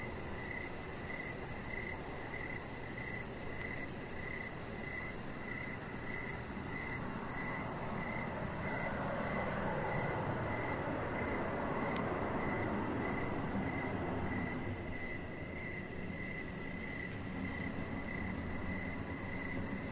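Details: Crickets in the evening near a deck with decoration lights and a chihuahua puppy, chirping in a regular pulsed rhythm at mid pitch, about four pulses a second, while a passing engine-like rumble swells and fades midway.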